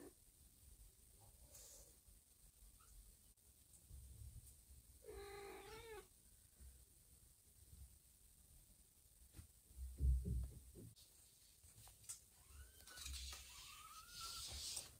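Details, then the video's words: Indoor domestic cats as a mother moves her grown, heavier kittens to a safer place, one by one in her mouth. A strong harmonic meow around the middle, knocks and bumps, then thin rising-falling kitten cries near the end. "Mom cat moves her kittens to a new safe spot! Loud meows everywhere!"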